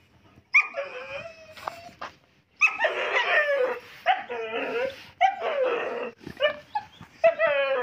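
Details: German shepherd dog giving long whining yelps and howl-like cries, several drawn-out, wavering calls separated by short silences, with no other clear sounds.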